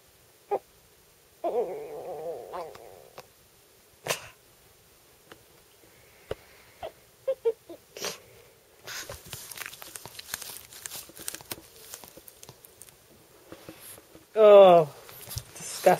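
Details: Pet dog Spudgy, indoors, excited by someone writing and wanting a pen, gives monkey-like noises: a wavering nasal whine, scattered snorts and sniffs, rustling, then a loud, high squeal that rises and falls near the end.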